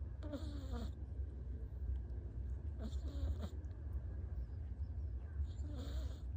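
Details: Rescued brown tabby-and-white kitten snoring while asleep, recorded indoors on 1 August 2023; soft raspy breaths rise in short bursts about every two and a half seconds over a steady low hum.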